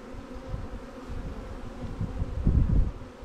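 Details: Buzzing of honey bees around new swarm hives of Langstroth and Warre type while the hives are checked; continuous humming bands under bumpy low-frequency knocks, swelling louder near the end.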